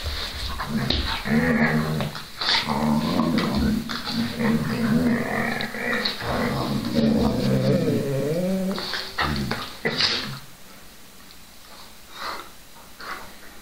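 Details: Two whippets, Milo and Gino, growling and whining in low rumbling tones with harmonic moans, bursts of noisy sound between, quieter toward the end.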